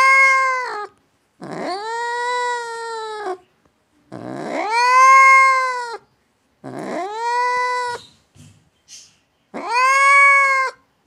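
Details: Indoor cat that does not want guests in the house, voicing four or five sustained, strongly harmonic yowls, each about one to two seconds long with a rising onset, separated by brief silences.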